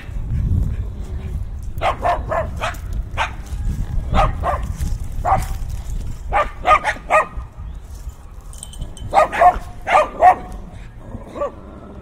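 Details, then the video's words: Dogs barking fiercely, heard through in-ear binaural microphones amid heavy winds: irregular clusters of sharp barks, with a tight volley near the end, and loud low wind gusts at the start. "Fiercely Barking Dogs"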